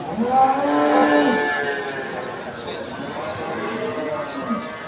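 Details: At the Pon Ambarawa cattle market in Ramadan 2024, a cow gives one full, rising-then-falling moo lasting about a second, followed by softer lowing further off, with people talking in the background.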